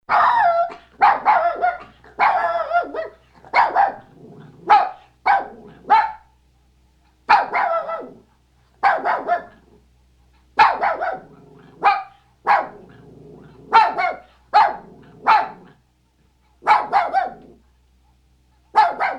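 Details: Maltese. A small Maltese dog barks repeatedly in sharp, high yaps, often doubled or tripled in quick succession. Short silences separate the bursts, and no other sounds intrude.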